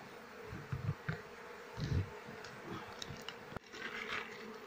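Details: Asian honey bees (Apis cerana) of a queenless colony whose honey-filled combs hold no larvae, opened during beekeeping work: a steady low hum runs throughout, broken by dull handling thumps and knocks and one sharp click near the end.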